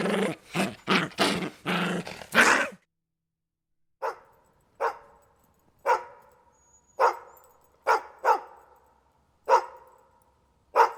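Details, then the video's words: Dog giving a rapid cluster of rough barks, then after a pause a slower series of clearer, ringing barks about one second apart. "SOM DE CACHORRO"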